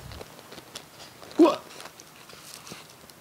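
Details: Shio (Theo), a talking pet cat, indoors as a surprise gift is unpacked: one short loud meow, bending up then down, stands out over quiet rustling of packaging and soft background sounds.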